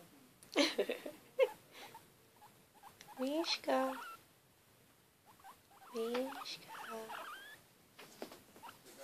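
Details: Female pet guinea pig, newly acquired, noisy while eating; loud harmonic squeaks and rising, gliding chirps come in bursts at about one, three to four, and six to seven seconds, with pauses of quiet rustling between them.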